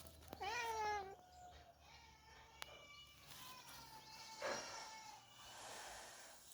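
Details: Cat inside a house where cats are being shooed out of the kitchen; one clear, sharp, rising-and-falling meow followed by a long thin tail, then a softer second cry and faint background noise.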